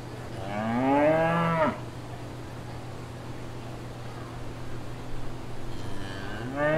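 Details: On a countryside farm, cattle moo: a strong rising-and-falling moo lasting about a second, a long quiet gap with low steady hum and soft rustles, then another moo beginning at the end.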